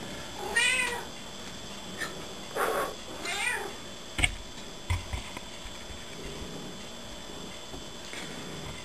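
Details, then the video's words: Gertrude, a pet cat called Gertie, indoors, meowing back when her owner makes a blowing noise: three short harmonic meows in the first four seconds, then faint clicks and rustling with quiet room hiss. "Hysterical Talking Cat"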